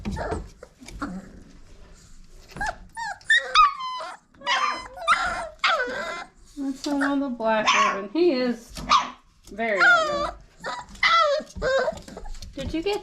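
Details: Old Family Red Nose Pit Bull pups, five weeks old, sparring together: repeated squeaky yelps, whiny cries and small barks come in uneven bursts, over a person's voice encouraging them and faint background music.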